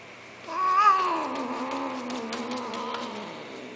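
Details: A cat gives a single long, drawn-out meow that rises briefly, then slides gradually lower and fades over about three seconds above a faint steady hum.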